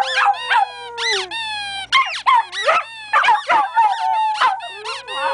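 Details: Two pet dogs, a Bichon Frise and a Golden Lab, howl at a squeaky toy; a long, smooth, sliding howl, then bursts of shrill squeaks mixed with wavering, whiny dog howls.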